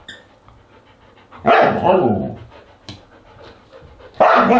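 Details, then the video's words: Siberian Husky at a dinner party on August 10, 2022, giving two loud harmonic barks or yelps, one at about a second and a half and another near the end, with quiet rustling between. "Husky Dinner Party"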